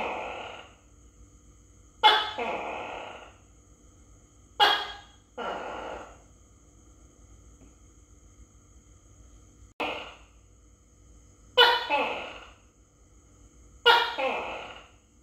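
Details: Close-range phone recording of a Tokay gecko (Gekko gecko) fed crickets. Repeated loud calls with a crisp attack and a trailing second syllable come roughly every two seconds, six or seven in all, with silence between them.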